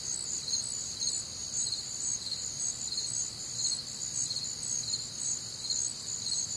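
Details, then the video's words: Many crickets trilling together on a humid Midwestern summer night, their high, pulsed chirps repeating about twice a second in stacked layers, with a quiet low hum underneath. "Night Time Cricket Sounds"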